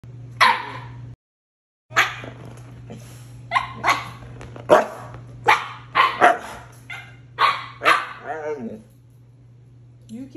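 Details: Siberian Huskies Moon and puppy Shadow, known as talking huskies, vocalising while asking for ice cream; a series of short, howl-like yowls and bark-like bursts repeats about every second, with a steady low hum beneath.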